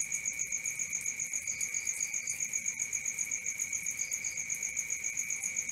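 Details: Night-time crickets keep up a continuous piercing trill in two high bands, softly throbbing at a regular pace, with a few brief softer chirp groups slipping in now and then.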